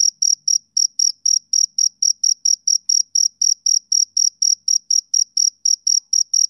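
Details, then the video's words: Rapid high-pitched chirps from a male cricket on a summer evening, about four per second, with a couple of tiny hitches early on before settling into an even beat. The setting is otherwise silent. "Cricket Chirping Sound Effect"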